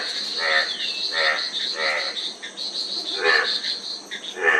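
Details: Frogs croak in harmonic-rich bursts about every 0.7 seconds, with a steady high insect hum running underneath throughout.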